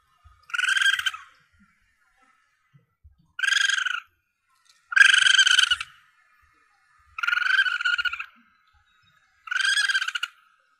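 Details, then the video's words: Calls of a young Asian palm civet (musang pandan), offered to hunters as a lure: five rasping, high squeals lasting half a second to nearly a second, spaced about every two to two and a half seconds, with little background noise. "Suara Anak Musang Pandan"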